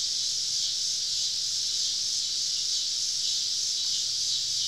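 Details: Deep in the woods on a southern summer evening, cicadas surround a campsite with a constant shrill buzzing wall of sound, even in level, with a faint low hum beneath.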